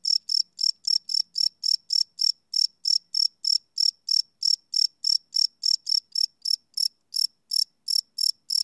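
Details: Night-time cricket song captured live on a Sony PCM D100 recorder: a continuous run of shrill, pulsing chirps, roughly three or four per second, with slight irregular gaps and nothing else audible.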